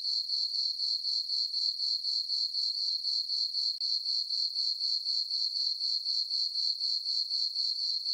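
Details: Night-time cricket chorus from a farm meadow beneath a full moon on a summer night; a shrill, even chirp about four pulses a second, roughly thirty-three pulses in a steady rhythm, nothing else audible.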